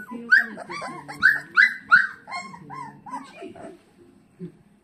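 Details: A golden retriever puppy gives a string of yelping, arched howls, loud at first and then fading into softer whines, with a low hum underneath.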